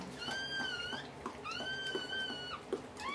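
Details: Dobermann litter being born indoors after a mother dog's all-day labor; two long, high, slightly wavering whines in sequence, each about a second, with a third starting at the end, over a faint room hum.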